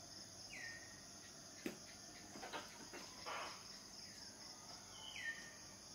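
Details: Cicadas in a steady, high, shrill drone layered in two continuous bands, with a short descending bird whistle near the start and another near the end, plus a few soft clicks and rustles midway.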